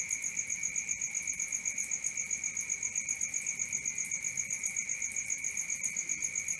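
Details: Crickets at night: a steady, high, even pulsing chirp, about four beats a second, over a fainter, higher shimmering tone, with no other clear sounds.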